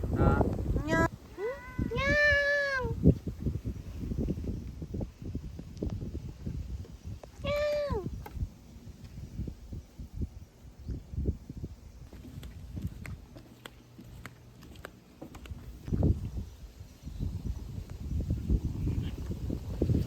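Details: A cat befriended in an autumn forest on Jeju, Korea, gives two drawn-out, arching meows early on and a shorter one near the eighth second, with people talking softly and rustling footsteps outdoors.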